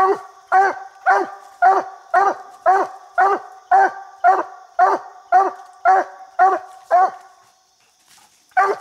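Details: Coonhound named Bandit barking at a raccoon treed in a little tree while coon hunting; loud harmonic chop barks repeated steadily about twice a second, thirteen in a row, a brief pause, then one more bark.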